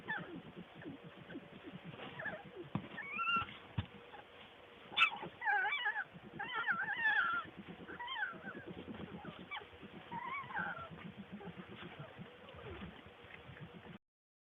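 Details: Skunk: dense, low chattering pulses under repeated bursts of warbling, whining squeals in clusters. A sharp click stands out near the middle before the sound stops abruptly.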